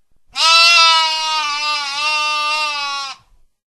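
A lamb gives one long, steady bleat, nasal and slightly wavering, lasting about three seconds.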